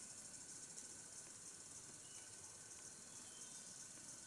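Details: Desert cicadas at a camping shelter produce a continuous high, shimmering drone that fills the whole stretch with slight pulsing, over a soft low rumble.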